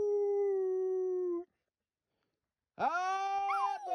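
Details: Pet dog singing: a long steady held tone, a short silence, then a sharply rising howl with wavering, warbling pitch that slides down at the end.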